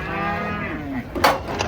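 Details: A big cow coming down off a truck gives a short, bending moo that slides downward, cut by a sharp metallic bang near the end.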